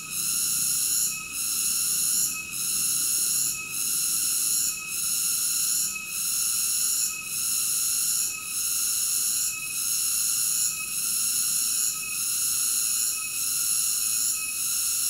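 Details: Steady cicada chorus: an intense high buzz of layered tones pulsing regularly about every 1.2 seconds throughout, with nothing else heard.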